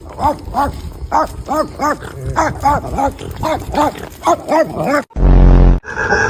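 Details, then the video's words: A pet dog makes strange noises: a fast run of arched, whining yelps, each rising then falling, about three per second, ending in a loud burst of noise. "My dog makes some strange noises"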